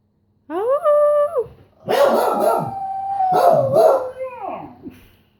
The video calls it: Beagle howl